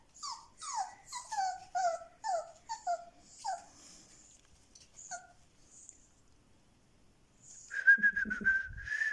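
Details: Frightened, trembling male Siberian Husky puppy, black and white, born 7 October 2020 in a Moscow kennel: quick run of falling whimpers about every half second, a pause of quiet, then a louder sustained whine with wavering pitch.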